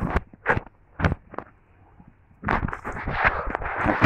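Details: Outdoor rural scene with sharp scraping and crackling impacts like footsteps, followed by a burst of human voices and handling noise.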